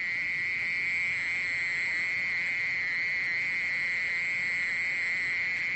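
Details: Mole cricket song: one unbroken, steady, high buzzing trill held at a single even pitch with a fainter overtone above, no pauses, over a quiet background.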